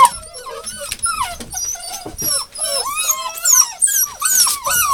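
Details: Hound puppies whining and whimpering: high, squeaky, overlapping cries that rise and fall and bend in pitch, coming almost without pause, several voices at once, with faint rustling in between.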